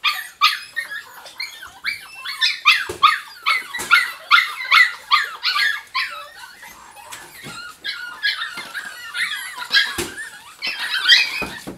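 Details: A litter of Jack Russell Terrier puppies yapping and squealing almost nonstop, with overlapping high-pitched yips tumbling over one another several times per second and a few sharp knocks.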